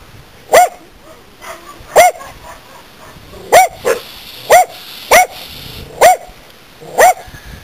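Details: Corgis in a country front yard give sharp, yelping barks at irregular intervals, sounding the alarm over a snake they found near a wood pile.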